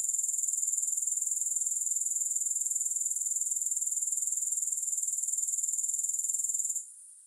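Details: Continuous shrill grasshopper buzz of quick, evenly spaced pulses, steady for almost seven seconds before fading abruptly to a faint remnant.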